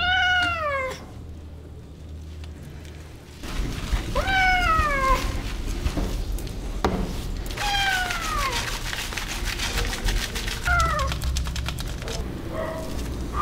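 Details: Persian cat meowing while being dried after a bath inside a pet drying room; four loud, drawn-out meows, each falling in pitch, spaced a few seconds apart over a steady low mechanical hum.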